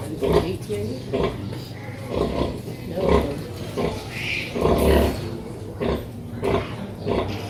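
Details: A noisy pig family of a mother pig and her piglets: one grunts repeatedly in low, rough bursts, with a brief higher squeal partway through.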